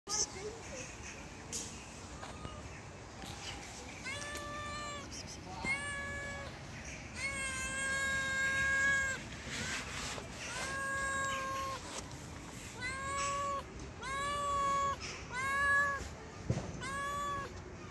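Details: Timid stray street cat being hand-fed, giving a long series of clear harmonic meows, each about half a second to a second long, some rising then falling, with soft clicks and handling noises between them.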